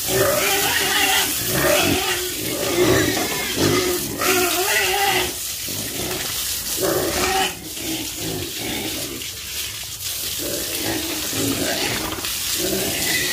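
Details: Pigs on a farm grunting in low, rough, overlapping bursts, roughly once a second, under a constant hiss of running water.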